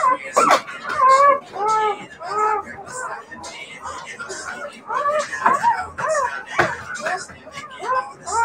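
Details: Several Siberian Husky puppies producing rapid, wavering howl-like wails and yodelling calls, many short bent notes tumbling one after another, with a few sharp clicks or knocks in a small room.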